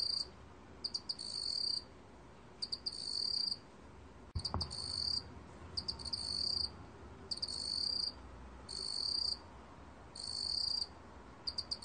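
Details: Meok-gwitturami cricket, Korea, 2020: a run of short bright trilled chirps, often doubled, repeating roughly every second or so, one brief low thump partway through, steady quiet hum underneath.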